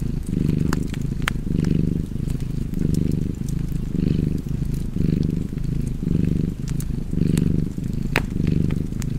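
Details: Rhythmic low purring of a cat, strong rumbling bursts repeating about every second with short gaps for breath, set against intermittent sharp crackles of a wood fire.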